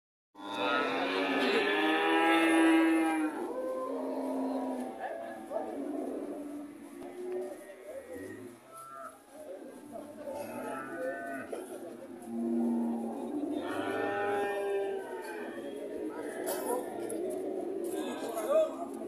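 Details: Relaxed heifer cow at an Indonesian animal market, giving long harmonic moos that rise and fall, one near the start and another around the middle, with market chatter and background noise throughout.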